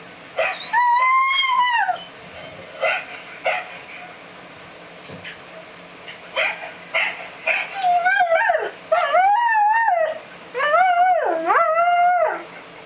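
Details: A mutt howls and yips: wavering tonal howls, then a run of rapid rising-and-falling yodelling notes with clear harmonic overtones, broken by brief pauses.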